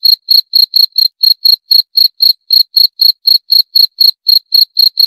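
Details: Steady cricket chirps, high and bright, repeating about four times a second with slightly uneven spacing. Each chirp is a short pulsed trill, and the background is dead silent.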